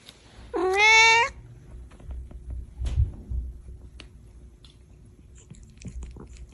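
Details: Angry domestic cat giving a single loud, rising then level harmonic meow lasting under a second, followed by quiet indoor rustling and faint clicks.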